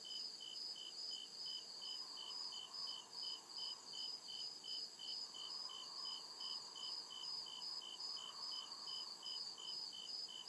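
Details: Real crickets in the deep woods after dark, repeating bright pulsed chirps about two and a half times a second above a thin steady ringing tone and a gentle low swell.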